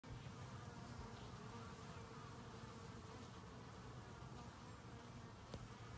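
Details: Honeybees robbing a hive, a dense, continuous low buzzing drone from many bees, steady throughout with no pauses.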